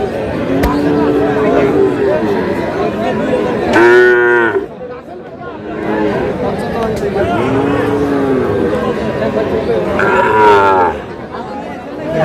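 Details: Sahiwal bull calves at a cattle market in Bangladesh; repeated long, tonal moos, some rising and falling, others loud and harsh, separated by brief pauses over steady crowd noise and talking.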